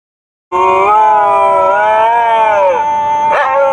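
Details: Dogs singing while riding in a car: a sustained, wavering tonal howl with rich harmonics, gently rising and falling for about three seconds, ending with a short sharp break.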